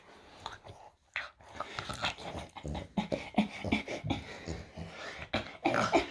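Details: Loki, a French Bulldog, during a typical morning indoors in a small room: short snorting grunts and brief whimpering cries come in bursts, with a louder cluster of higher whines near the end.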